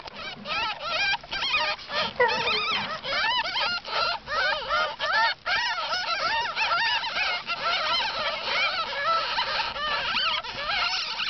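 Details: A large litter of ten newborn ferret kits with their jill, kept as pets, fills the air with dense overlapping high squeaks and wavering whines, a continuous chorus of many tiny voices.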